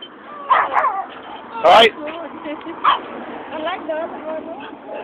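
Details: Cookie the pug barking at a neighbour while out on a walk: a few short, sharp barks and yips between half a second and three seconds, one loud burst near 1.7 s, with a man talking and urging the dog along.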